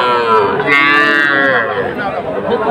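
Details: Sahiwal bull calves at Aftabganj cattle market, bought by a farmer from Rajbari, Bangladesh, on 18 October; a drawn-out harmonic moo swells and fades over about a second amid market chatter and crowd noise.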